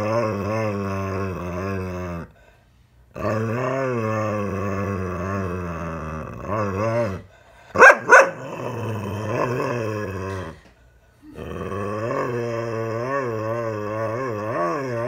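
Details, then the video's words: Daisy, a dog rescued ten years ago, lecturing her owner in a small room; long, wavering, moaning growls with rising and falling pitch in several bouts separated by pauses, a short sharp bark-like burst in the middle. "Dog gives owner another rough talking to."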